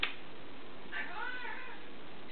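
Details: Indoor pet cat meowing in a way said to sound like "momma": one drawn-out, arching, harmonic-rich call lasting under a second, with a person's voice asking questions around it in a small quiet room.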